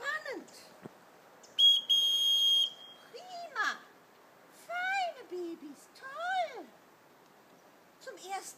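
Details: Kuvasz puppies, 5.75 weeks old, taken on a hike to the big meadow run after whistle conditioning; several high, arched whining yelps rise and fall in bursts, with one long steady whistle blast early on and soft human voices.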